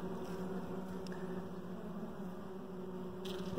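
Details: Steady, even drone of honey bees in the hive where a very dark queen is kept, a continuous low hum holding one pitch, a soft tick near the end.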